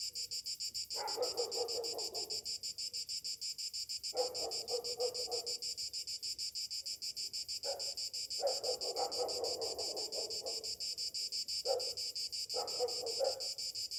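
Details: Cicadas on a summer morning keep up a high, pulsing buzz throughout, while lower rough bursts from another caller break in repeatedly, each lasting one to two seconds.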